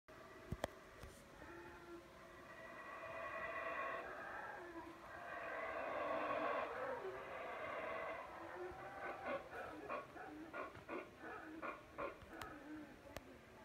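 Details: Howler monkeys calling in the background at the palace ruins of Palenque: a deep, swelling roar with layered harmonic tones that builds toward the middle, then breaks into a series of short pulsed grunting bursts, with a few sharp clicks nearby.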